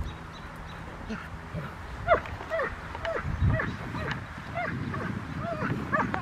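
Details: Rottweiler named Poncho during IGP1 protection training at Victoria Rottweiler Club on May 9, 2021, with a helper: short barks mixed with rising, whining yelps over rustling and a low background rumble.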